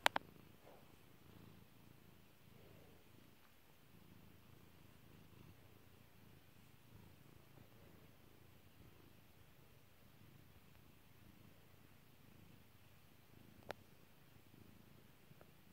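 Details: Kairi the house cat purring quietly while petted, a faint low rumble beneath a sharp pop at the start and another later on.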